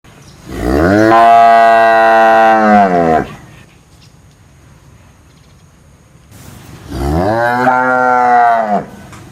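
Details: Cow mooing: two long, loud moos of about two and a half seconds each, rich in harmonics, rising at the start and steady, separated by a quiet pause of roughly three seconds.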